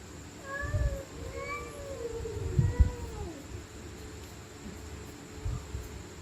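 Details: Stray cats screaming at night during a fight: a cluster of overlapping, wavering howls sliding downward in the first three seconds, with low rumbling knocks beneath, then quieter moans fading out.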